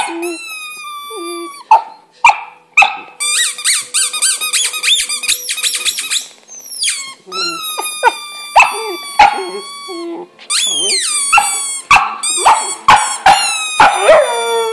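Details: Luna, a pet English Setter, howls for the first time: loud, high, wavering whines that rise and fall, broken by sharp squeaky yelps and short barks, in repeated bursts that grow more insistent toward the end.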